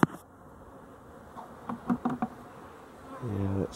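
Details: Honey bees at the hive by the slatted rack in the evening, seeming slower as they wake, 12-11-23; quiet hum with a few soft taps, ending in a strong, rising buzz of a bee flying close.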